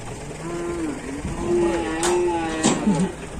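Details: Raging cattle in a bull fight in Indonesia, one drawn-out, harmonic moo holding steady for about two seconds, then breaking into short lower grunts, with sharp knocks and a man's voice in the background.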